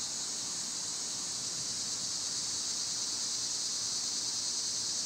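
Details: Summer cicada chorus: one unbroken, shrill, hissing buzz held at an even loudness from start to finish, with nothing else standing out.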